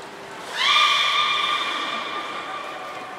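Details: Training-session beluga at Port of Nagoya Public Aquarium, September 14, 2019 (Hodoi, Taanya and Mirai): a long tonal call sweeps up sharply, then holds a level, slowly falling note with clear overtones for nearly three seconds.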